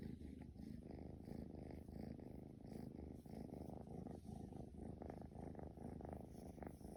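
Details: Purring of a playful male Scottish Fold kitten with straight ears, born in 2020: continuous deep vibrating rumble, rapidly pulsed and even in loudness, with faint soft rustles.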